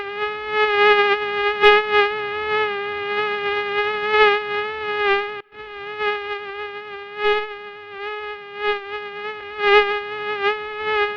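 A mosquito's thin, steady whine, a high nasal hum that wavers slightly in loudness.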